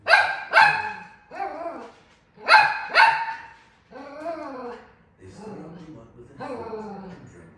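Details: An angry toy poodle barks at a caribou on TV, giving sharp, high-pitched barks in quick pairs, with talking in the background.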